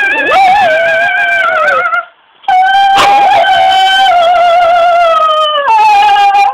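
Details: Pet dog howling as if singing opera: loud, sustained, tonal howls that waver and slide, broken by a short pause before a steady held note and a final lower slide.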